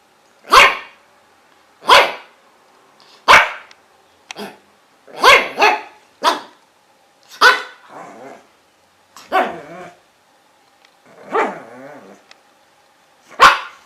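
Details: Different dogs barking: sharp, loud single barks spaced about every one to two seconds, some in quick doubles, a few ending in rougher, growly tails, against a quiet background.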